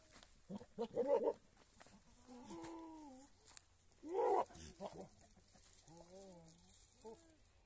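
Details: Male goat on a Rajasthani goat farm, used for mating; several quavering nasal bleats of varying length, some short and tremulous, others drawn out and gently falling, among faint farm background noise.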